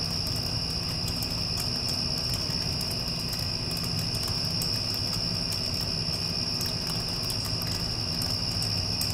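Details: After the storm passes, cricket song forms one steady, piercing tone. A rumbling air conditioner hums loudly below, with sporadic faint crackles and ticks.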